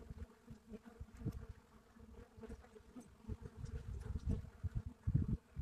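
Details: Buckfast bees buzzing at the entrance of a hive in Brittany, France; a steady low droning hum with harmonic bands, swelling in the last seconds as bees fly near.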